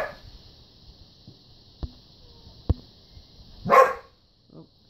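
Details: Two poodles playing over a ball on a Sunday morning; one dog lets out a single loud, sharp bark near the end, after a few dry clicks, with a man's voice talking to the dogs.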